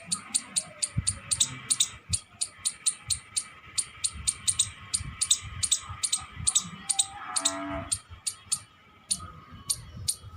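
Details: Squirrel calling with rapid, sharp, high-pitched chips repeated evenly, about two per second, over low thumps and a faint steady hum.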